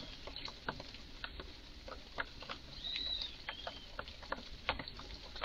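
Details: An agitated red squirrel in a garden makes curious sounds, a string of short, hard chucks and clicks, some in quick pairs. One brief high bird whistle is heard midway.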